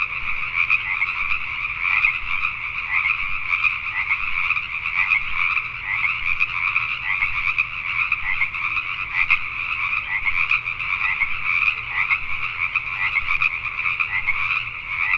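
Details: Pacific tree frogs calling at night in Richmond, British Columbia, Canada: a dense, continuous chorus of overlapping rasping croaks in two steady bands, many frogs at once with no pauses.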